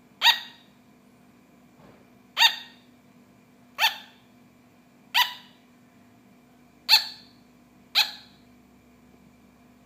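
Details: Sugar glider kept as a pet, giving a series of seven brief, high yapping barks, each a sharp harmonic click-like yap, repeated roughly every one to one and a half seconds against a faint constant hum.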